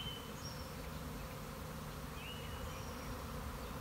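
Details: Swarming honey bees from a backyard colony, recorded March 26, 2021 after several days of rain: an unbroken low droning hum, with a few faint high bird whistles in the background.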